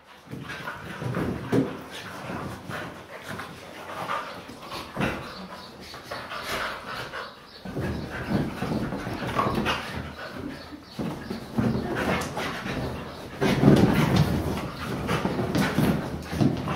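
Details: Siberian Huskies playing wildly on a couch grumble, whine and pant in rapid, uneven bursts of low, throaty sound.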